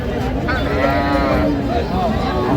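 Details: Cattle at the Aftabganj livestock market in Dinajpur, Bangladesh, where cows and calves are traded, 21 January; a steady, droning moo holds for about a second amid men's bargaining voices and busy crowd noise.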